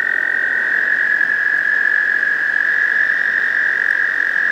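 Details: A male American toad gives a long, steady, high musical trill without a break, a breeding song to attract a female, at a pond in spring, usually May.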